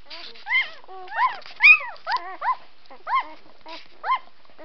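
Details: White Swiss Shepherd puppies giving high whining yelps that rise and fall, in short bursts about every half second, each with clear stacked tones; quiet between calls.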